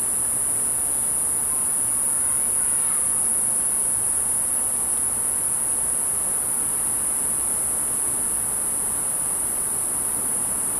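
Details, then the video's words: A cicada, recorded from about 10 feet away, gives a steady, very high-pitched whine that holds unbroken on one note from start to finish. "Cicada Video and Sound"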